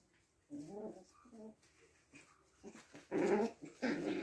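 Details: Six-week-old puppies indoors, with a soft, tonal whining whimper twice early on, then louder rough, noisy yelps and growly squeals near the end.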